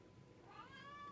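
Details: A pet cat indoors utters a short, rising meow that levels off into a steady tone at the end, faint against low room hum.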